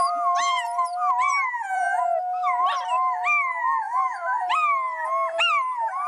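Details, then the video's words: Wolf pack in full chorus: many overlapping voices mixing steady howls with quick, wavering yips and yelps that jump up and down in pitch, loud throughout. "Wolf Packs Howling"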